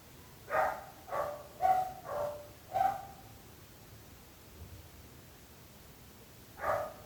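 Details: Barking dog heard from the neighbours' side: a fast run of five sharp barks in about two and a half seconds, then a long pause and one more bark, over low background hiss.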